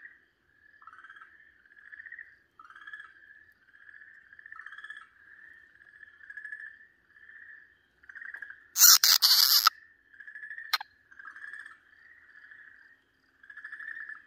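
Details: Okinawa green tree frog in the grip of a Pryer's keelback snake, 4 March 2023, repeating loud, buzzy, slightly rising wails about twice a second; a harsh loud crackle and a single click break in midway.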